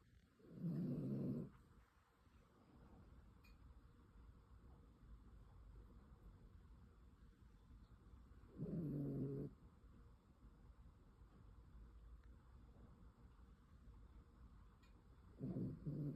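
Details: Toy Poodle snoring while asleep indoors: three low, rasping snores, each about a second long, spaced roughly seven seconds apart, with quiet room hiss between them.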